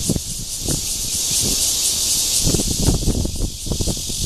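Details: A red-veined cicada (Cryptotympana holsti) sings its courtship call in Guangming Park, Zhongli, on 28 June 2013. The sound is a dense, high, sizzling buzz without pause, over frequent low thumping noises.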